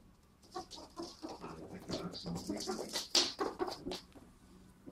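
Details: A ferret running around a living room for the first time makes quick, throaty clucking chuckles in uneven runs, over scratchy rustling and bumping.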